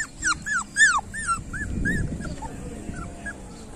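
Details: Street puppies give loud, high, arching whines and yelps in quick succession, fading to softer scattered squeaks toward the end.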